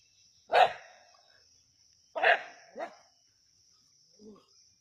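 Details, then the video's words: Native dogs barking while hunting a snake at Keezhadi, Tamil Nadu: a sharp, harsh bark, then a pause and a quick double bark, with a softer low grunt at the end over a steady high-pitched electronic whine. "கீழடியில் நாட்டுநாய்களின் பாம்பு வேட்டை"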